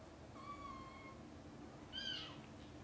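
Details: Mother domestic cat calls her kittens, busy playing and sleeping, to wake up for lunch time; a long level meow followed by a higher, shorter mew that drops away at the end, over quiet low hum.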